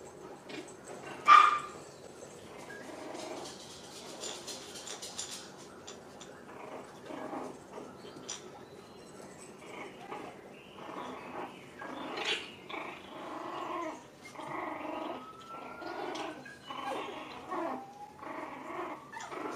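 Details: Six-week-old puppies, Rainy and Fancy's litter, at play in a pen: one sharp, high yip stands out early, followed by softer, irregular puppy barks and squeaks over rustling and scrambling.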